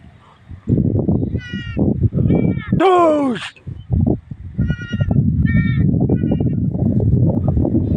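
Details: Goat together with its kid: several short, thin, high bleats, one loud harsh bleat sweeping downward around the middle, then more brief high calls, over persistent low-pitched rumbling background noise.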